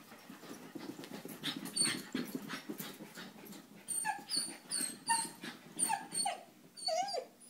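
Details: Playful Sheltie with a 9-week-old German Shepherd puppy; scuffling and breathy noise open, then a run of sharp, short yips and whiny yelps repeats roughly every half second toward the end.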